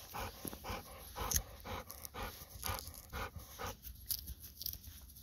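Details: Golden Retriever panting eagerly outdoors while begging its owner for a mandarin orange: quick, breathy, rhythmic huffs, about two per second, with faint rustling in the background.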